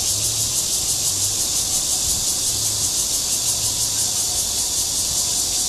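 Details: Mating call of a Cryptotympana holsti cicada in Guangming Park, Zhongli, Taiwan: loud, continuous shrill buzzing with a fast, slightly throbbing pulse throughout and a faint low hum beneath.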